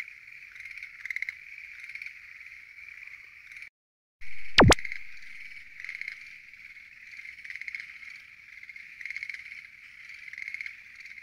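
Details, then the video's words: Schlegel's green tree frogs calling at night from a lotus pond, a dense steady chorus of rattling trills packed together, briefly cut to silence and broken by a sharp click before the croaking resumes. "Noisy? Green Tree Frogs Chorus! !"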